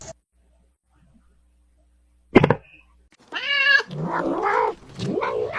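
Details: Domestic kitten giving a clear tonal meow after about three seconds of near silence and a short knock, followed by a lower, wavering vocal sound indoors.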